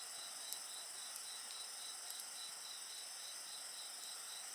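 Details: Insects singing alongside a crackling bonfire: steady high shrill tones layered with a faint pulsed trill, with occasional sharp pops and snaps from the fire.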